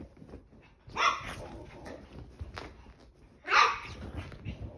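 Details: A 19-week-old chihuahua puppy on a crazy run indoors, giving two sharp high yapping barks about two and a half seconds apart, with scuffling and thumping in between.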